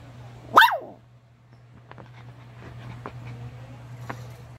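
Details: Maltese-Shih Tzu half-breed dog, white fur, letting out one quick, bright bark that trails off. Afterwards only a low steady hum and a few faint clicks are heard.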